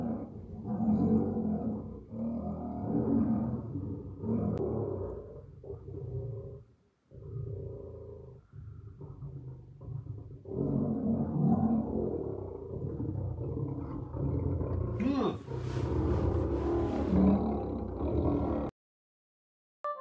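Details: Lions at night at West Midlands Safari Park, UK, heard from an overnight lodge: deep, rumbling, sustained roaring in long low bouts broken by short pauses, a harsher burst near the end, then sudden silence and a brief voice.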